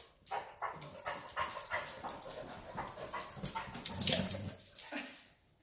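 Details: A Weimaraner nibbling a young Black and Tan Coonhound in play gives a run of quick, breathy yelps and whimpers over scuffling sounds, ending with a low grunt.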